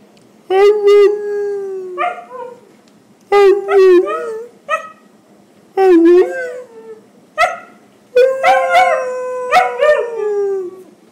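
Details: Talkative husky howling to its owner about its day in a series of five or six separate phrases, each a loud, warbling howl with rising and falling inflections, separated by short quiet gaps.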